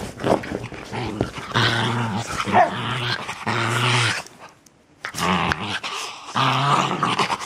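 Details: Playing puppies, a new litter, growl in deep buzzy harmonic bursts of about a second each, separated by short pauses, with a near-silent gap midway before the growling resumes.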